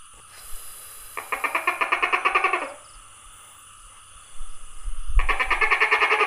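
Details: Tokay gecko calling, recorded 27 May 2020: two bursts of rapid, rattling pulses, each about one and a half to two seconds long and separated by a short pause. A steady high hum and a low thump run in the background.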